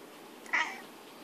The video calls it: British shorthair cat cute - cat is talking back 🐾🧡 very cute!